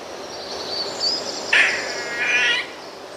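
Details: Eastern gray squirrel in the eastern US gives two nasal whining cries like a gray catbird, often mistaken for a bird, the first short and the second longer, over a faint high hiss.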